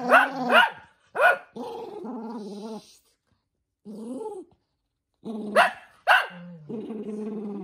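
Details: Toy poodle named Minato, the eldest, erupting in anger as socks are put on its paws: sharp yappy barks burst out between long harmonic growls, snarls rising and falling, with pauses of silence.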